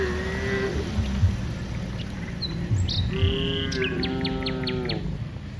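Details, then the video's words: Dozens of cows walking from the rice fields to the village; two drawn-out, slightly falling moos, the second longer, with birds chirping throughout and a steady low engine-like rumble underneath. "Dozens of cows are walking from the rice fields to the village, Moo's funny cow sounds, Cows Sounds"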